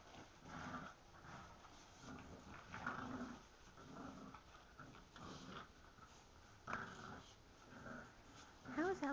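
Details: Indoor tug-of-war game between French Bulldog Louie and English Bulldog puppy Gus over a plush chain; repeated low growls roughly every second, then a person talking over the final moments.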